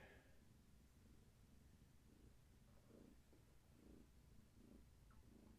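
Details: Purring from pregnant long-haired tabby Gaia, whose kittens are active in her belly: a faint low rumble with soft pulses about once a second, under a hissy background.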